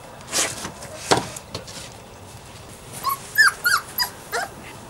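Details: Playing puppies Savannah and Jericho give a few short, high, bent whimpers and yips in the second half, after sharp knocks and rustling from their play.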